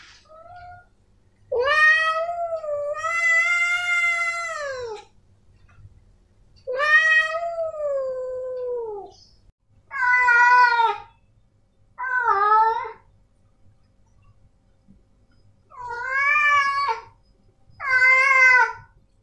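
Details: Male domestic cats Snowy and Milo meowing: two long wavering wails of about three seconds open the sequence, followed by shorter, rising-then-falling meows in quick pairs, all rich in harmonics, with silence between.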